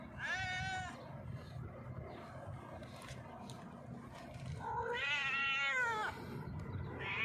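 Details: Hungry stray cat sitting on a rock, meowing loudly to ask for food: a long drawn-out wail, then after a pause a second loud, slightly wavering meow, and a third one starting at the end, over steady low background rumble.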